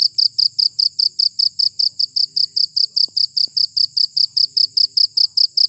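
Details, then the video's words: Cricket chirps intended as a rat repellent, a shrill, fast, unbroken run of regular high pulses with only faint low background noise. "Suara Jangkrik Pengusir Tikus"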